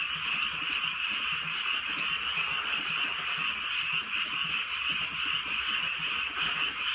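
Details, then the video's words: Frogs croaking in chorus through a gentle night rain in the countryside. The pulsing calls run without pause, and distinct drip sounds stand out now and then. "개구리 소리"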